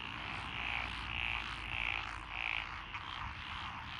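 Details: Frog chorus recorded in lotus rice paddies along a country road in Echizen, Fukui Prefecture, Japan, on 12 June 2021, with Japanese tree frogs, Tokyo daruma pond frogs, wrinkled frogs, Schlegel's green tree frogs and forest green tree frogs. A dense, steady croaking din carries four brighter bursts roughly every 0.6 seconds.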